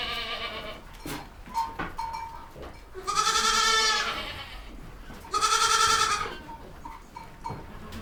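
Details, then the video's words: Two long, shaky bleats from baby goats, each about a second, standing out against a noisy barn background with scattered clatters and faint calls. "Baby goat sounds | Goat bah sound"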